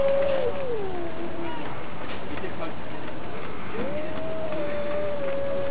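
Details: Two cats squaring off in a fight, one cat against another: a long, drawn-out tonal yowl that sags lower, then swells again into a steady, wavering howl. The hum of background noise runs throughout.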